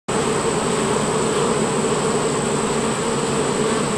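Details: Western honey bees (Apis mellifera), workers at the hive entrance: a steady, dense hum of many bees with a low droning buzz.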